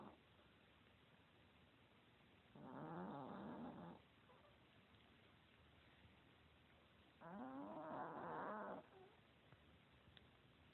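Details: Sam, a fat, lazy Chihuahua, snoring in 2016: two drawn-out, raspy breaths, each about a second and a half with a wavering, warbling tone, spaced roughly four and a half seconds apart in a quiet room.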